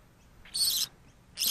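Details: Orphaned female baby grey-headed flying-fox, found on its dead mother on the ground beside a road under a fig tree and being rescued, giving two loud shrill high-pitched squeaks about a second apart.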